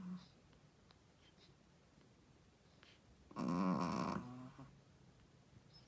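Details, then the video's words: A Shih Tzu mother, a first-time mother, asleep indoors gives a single harsh, rattling snore lasting under a second, followed by a softer trailing breath amid quiet room noise. "How loud does a shih tzu mommy snoring?/ Shih tzu snoring"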